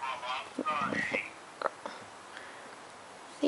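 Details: A female Siberian husky howls while hearing her deployed owner on the phone, giving short, wavering, whiny howls, sounding forlorn as she misses him.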